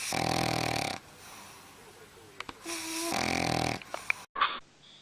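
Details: Dog snoring loud while asleep: two long, rough, wheezy snores with a quiet pause between them, followed by a few brief clicks and a short sharp noise at the end.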